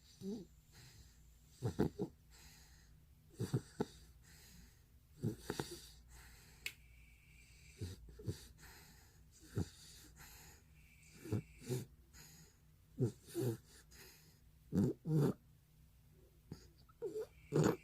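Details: Bani, a sleeping retriever filmed two years earlier, breathes in short, wheezy snorts. Brief nasal puffs recur about every two seconds over a quiet indoor background, some doubled, a few sharper and louder near the end.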